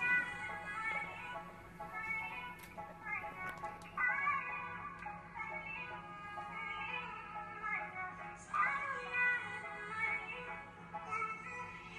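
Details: Bright pop music with synthetic, high-pitched singing plays throughout, with no animal sound heard.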